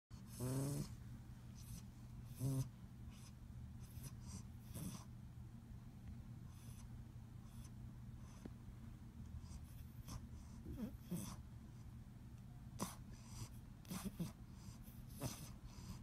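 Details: A sleepy English Bulldog puppy snores softly with low rumbling breaths and a few snorts, waking as it fights falling asleep.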